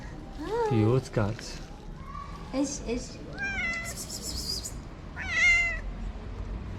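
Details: A hungry stray cat in Morocco sniffs the camera and meows. A person's voice opens the passage, followed by two rising-falling meows a couple of seconds apart and a brief high-pitched scrape between them.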